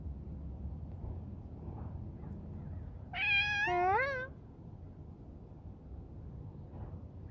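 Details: A domestic cat lets out one drawn-out, wavering meow lasting about a second. The call is rich in harmonics and stands clearly above a constant low outdoor rumble.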